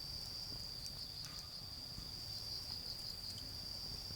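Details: Autumn insects calling beside a garden bonfire: a steady, high, unbroken ringing trill holds throughout, with faint pops from the fire and a low rumble of distant traffic underneath.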